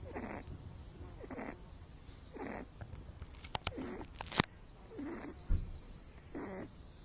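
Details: Little Loopy, a pet rabbit with cerebellum damage from birth, asleep in the sun and snoring loudly: breathy rasping snores repeat about once a second, with a few sharp clicks and knocks in between.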